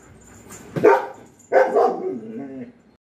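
A German Shepherd gives a sharp bark, then a longer, wavering bark that trails off.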